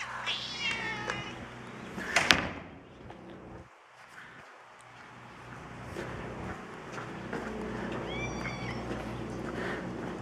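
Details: Feral cats being fed at Evergreen Valley College, including the tortoiseshell Misha; a harmonic meow opens, a second brief mew comes later, with a sharp clatter and a steady electrical transformer hum throughout.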